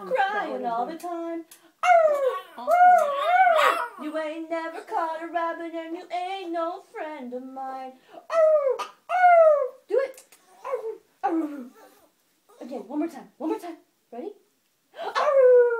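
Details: Obi, a pet Yorkshire Terrier indoors, being taught to howl by a girl: gliding, wavering howls with falling pitch rise and drop in short bursts, mixed with the girl's own howled notes and speech in a small room.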